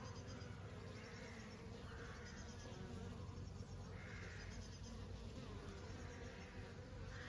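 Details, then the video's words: A swarm-like hum of honey bees in summer, low and unbroken, the buzzing rough and even while faint bird chirps repeat softly behind it. "sound effects honey bees in summer"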